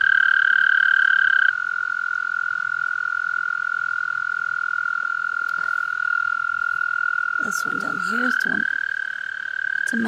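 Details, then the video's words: Mating-call trill from toads: a continuous, high, buzzy pulsed tone held for ten seconds, briefly overlapped by a second trill early on, with a man speaking near the eighth second. "Toads Making Noises and Trying To Mate"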